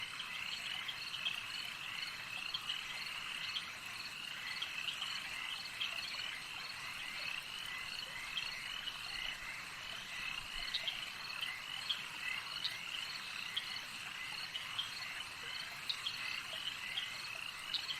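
A dense chorus of crickets chirps steadily, a high shimmering trill that never lets up.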